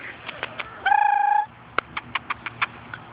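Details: Four-and-a-half-week-old puppies, sired by Bosco out of Fergie, on their first outing outside with their mother Fergie and half sister Miley: one steady, high, harmonic whine lasting about half a second, then a run of sharp taps or clicks.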